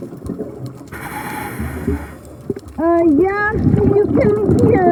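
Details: Humpback whale song from singing males, recorded underwater during a night dive in breeding season: after a hiss of bubbles, a run of clear harmonic moans, some level and some bending upward, over steady low rumble.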